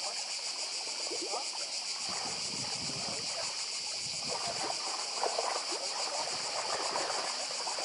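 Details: Steady, high-pitched drone of many cicadas on Badija island, Croatia, close to the sea, rapidly pulsing without pause while small waves splash and gurgle beneath.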